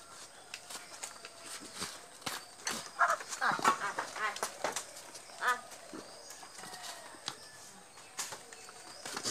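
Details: Goats at a goat farm give a short burst of wavering, harmonic bleats near the middle, surrounded by sharp clicks and knocks, with human voices and a rural outdoor background.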